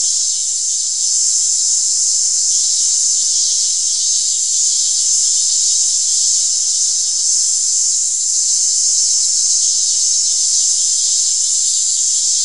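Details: A cicada's unbroken, very high shrill hiss holds steady throughout, a dense electric-sounding drone with only slight swells in loudness.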